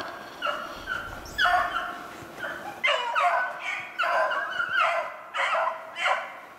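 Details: Beagles baying while hunting snowshoe hare on 2/25/16: a run of about six loud, drawn-out, harmonic bays, some overlapping, over seven seconds, each rising sharply then sustaining, with a faint hiss beneath.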